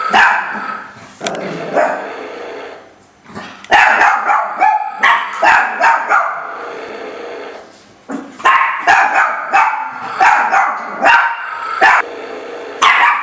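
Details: Chihuahuas Jacques, Isabelle and Rachelle at play: dense runs of shrill yips and barks, some growly, tumbling over each other, pausing briefly before another rapid volley.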